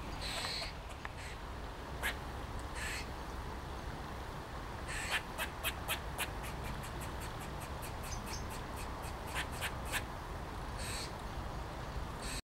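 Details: Eastern gray squirrels in Sheffield Botanical Gardens, several in trees waving their tails and calling in display; rapid series of short harsh chucks and clicks, bursts repeated in quick runs, over steady low background rumble.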